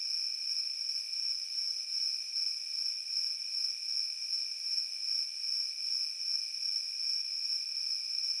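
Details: Field crickets sing together in a steady high-pitched ringing chorus that swells and fades in regular pulses, roughly two or three per second, against otherwise quiet surroundings.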